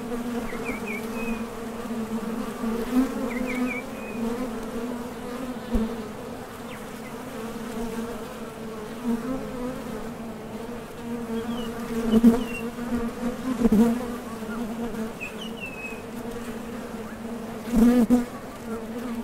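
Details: Foraging honey bees taking off and landing at a top bar hive entrance, producing an unbroken low hum, several sharp louder passes late on as bees fly by the recorder, and occasional distant bird chirps.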